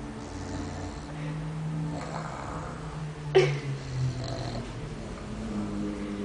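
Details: Gara, a pet cat, snores unseen; slow low rumbles rise and fall through the breaths, with a brief sharp knock near the middle and a quiet steady hum underneath.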